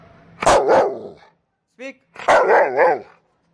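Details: A Rottweiler, told to "speak", gives two deep, gruff barks, each a harsh burst with a brief rough tail.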